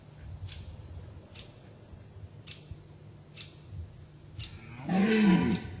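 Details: Short grunting roar of a rutting red deer stag with fine antlers in Gemenc, Hungary, heard close from a ditch, coming at the end after several seconds of quiet with faint high bird chirps.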